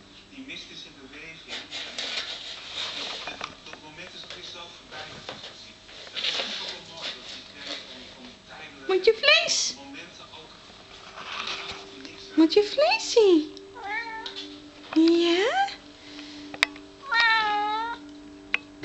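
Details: Maine Coon cat; meow; hunger, asking for food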